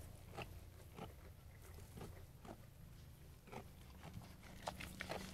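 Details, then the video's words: Sheep eating food, heard as crisp biting and chewing crunches that come in short bursts roughly every half second to second, some sharper than others, over a steady low rumble. "Sheep Eating Food"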